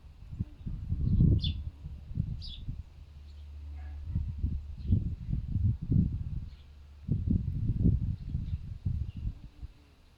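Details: Fox living as a pet after rescue from a fur farm makes pig-like grunting noises outdoors on a windy day: irregular low, husky grunts come in clusters across the whole stretch over steady wind rumble, with a few faint bird chirps.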